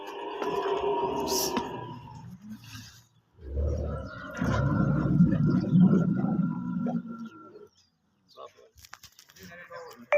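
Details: A camel screaming: after a brief tonal, voice-like opening, a deep, rough, gurgling roar swells in and rumbles for about four seconds, then breaks off into quiet scattered clicks and rustling.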